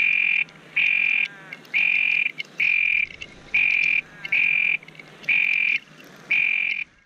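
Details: Texas toad near Pearsall, Texas, producing eight piercing buzzy trills in about seven seconds, each short and flat in pitch and separated by brief pauses, over a quiet background.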